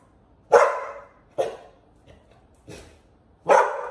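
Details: Bullet the Pit Bull with Liberty the puppy, which keeps bothering the older dog. A loud bark opens, followed by softer barks, then a strong closing bark, all within four seconds.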